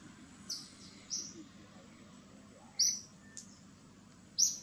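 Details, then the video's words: Shrill cries from baby monkey Gigi calling for mom Gladdis, four brief high-pitched squeals spaced irregularly about a second or more apart, against a soft steady background. "GIGI BB MONKEY CRYING SEIZURES TO CALL MOM GLADDIS."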